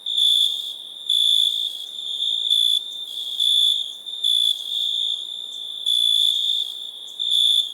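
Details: ['High metallic cricket chirping: pulsed trills of uneven length, each about half a second to a second. They alternate with a fainter continuous ringing tone.']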